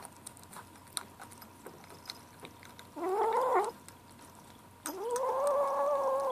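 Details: Gray seven-week-old kitten named Ashe vocalizing while eating at lunchtime indoors: two harmonic meow-like calls, a short rising one near three seconds and a longer sustained one from about five seconds, over faint clicks and a steady hum.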